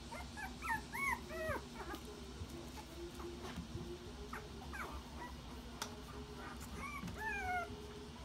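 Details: Red Toy Poodle puppies, born 26 June and nearly one month old, give thin, high whimpers and squeaky yips in overlapping bursts at a breeder in Aichi, Japan.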